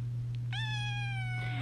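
A domestic cat gives a single drawn-out meow that starts high and slowly falls.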